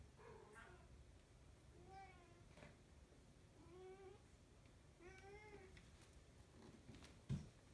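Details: Domestic cat during play, giving a string of four short meows spaced about 1.5 seconds apart, each a harmonic, slightly arching tone, with a low steady indoor hum and a sharp knock near the end.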